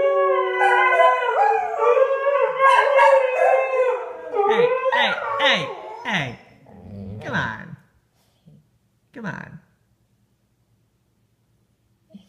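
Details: Annoyed husky Sky howling with springer spaniels Marshall and Sadie: layered howls fade after about five seconds into short whines and grunts, then quiet with a few isolated yelps.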